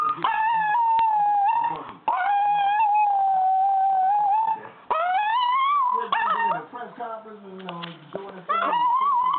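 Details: Smegal the singing dog performs with his owner's music, holding long even howled notes, then climbing in wavering rising slides and short yips, with lower voice-like sounds in between.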